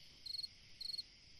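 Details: On a summer night, a cricket sings in short pulsed chirps, each a quick trill of about five pulses.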